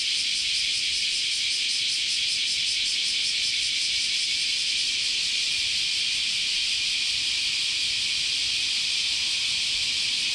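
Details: Many cicadas singing together in Japanese summer at Chionji Temple in Kyoto; a steady shrill buzzing wall of sound with faint rapid pulsing in the first half, continuing without a break.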